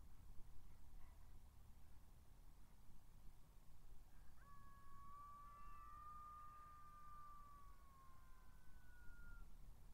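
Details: At dusk (17:49) on 23 October 2022, a migration camera at Matsalu records howling golden jackals: a drawn-out, wavering howl that swells slightly and then slides down, over low rumbling wind.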